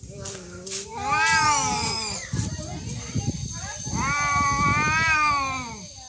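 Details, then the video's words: Two cats in a real fight: a pair of sustained, warbling yowls, each arching up then down over about a second, with a noisy scuffle and human voices between them. "Real cat fight Fighting cats"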